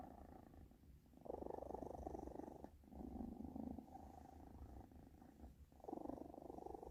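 A British Shorthair cat purrs steadily, a low rumbling drone that swells with each breath.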